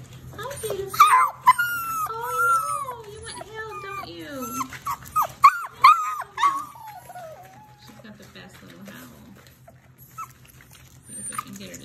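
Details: German Shepherd/Labrador/Rottweiler mix puppies from one litter, indoors, give high, wavering whimpers and whines that bend up and down in pitch, several overlapping in quick bursts, with a woman talking softly between them.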